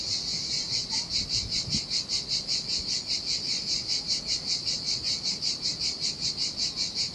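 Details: A cicada chorus singing in the summer heat above a desolate Sardinian beach: a sharp, high buzz pulsing steadily about two and a half times per second, soft surf washing underneath and one brief faint chirp.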